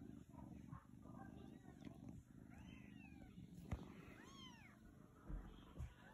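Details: Newborn Siamese kittens, mother cat away eating and a young Siberian kitten resting beside them: thin, high rising-falling mews repeated several times over a low steady rumble and hum.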